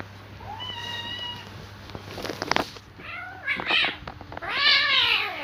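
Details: Fighting cats: a thin, steady, high whine early on, then clicks and a sharp burst, followed by rising and falling, heavily harmonic yowls that swell into a loud, harsh wail at the end over a faint background hum.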